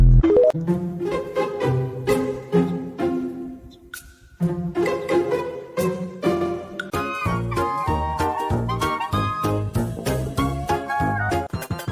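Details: Bouncy plucked string music with bowed bass and cello lines plays throughout, with a brief pause near four seconds and no animal voices audible.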